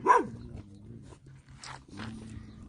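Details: Dog in Cuernavaca, Mexico, on 21 February 2021, that came out showing its teeth at a passing walker. One loud, abrupt bark opens, followed by fainter, muffled bursts over a steady low hum.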